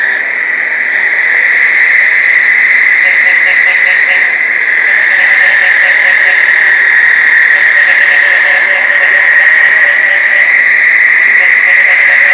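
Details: Dense mating chorus of many frogs in Placencia, Belize, during the summer rains. A steady, shrill high drone runs throughout, with lower pulsed notes repeating quickly beneath it. No other sounds stand out.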